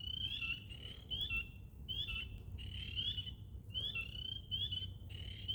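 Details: Frogs in a swamp call in a chorus of high, bright, slightly rising notes that overlap and repeat.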